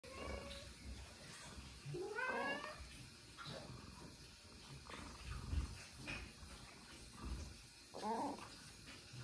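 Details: A domestic cat during a smell check, giving short meows with rising and falling harmonic sweeps near 2 and 8 seconds, quiet rustling and low room noise between calls.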